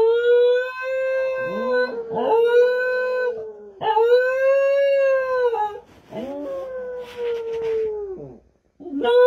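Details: Dog howling indoors, long sustained tonal wails held steady for about two seconds each, separated by brief yelping breaks, with rich stacked overtones and no other sounds.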